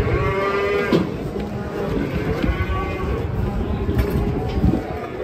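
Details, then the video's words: ['Cows coming down off a truck give a low, hoarse moo against dense background noise of people, machinery and music.'] "SAPI LUCU TURUN DARI TRUK"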